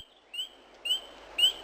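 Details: A spring peeper, a tiny frog among the first animals to wake from winter sleep in spring in the United States, gives clear, rising whistled peeps, about one every half second.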